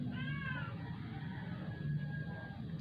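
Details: Dying indoor rescue cat, once a stray, weakened after vet injections; a brief thin meow at the start, then quiet low hum with a faint tonal note later.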